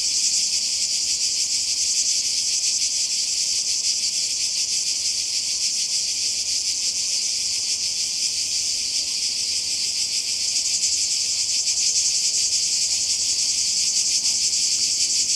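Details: Cicadas calling by the Croatian sea, summer 2020: a loud, constant high-frequency buzz, finely and regularly pulsed, steady throughout without pauses or other clear sounds.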